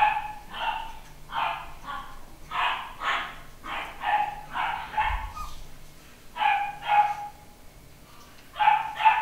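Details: Home-bred Papillon puppy, a 9-week-old pedigree male, yaps in quick clusters of two or three shrill barks, around fifteen in total, separated by short quiet gaps.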